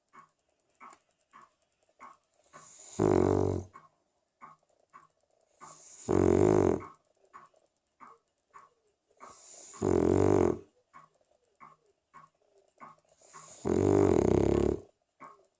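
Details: A 3-year-old female Cavalier King Charles Spaniel snores in loud, rasping breaths that recur roughly every three to four seconds.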